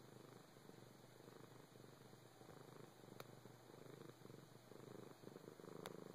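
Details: A four-year-old house cat gives a continuous low purr, an even, throbbing rumble, with two faint clicks heard partway through.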